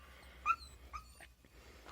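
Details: Jack Russell Terrier on a village road as a herd of cows approaches. It gives three short, high, tonal yips in two seconds, the first sharpest, over a faint low rumble.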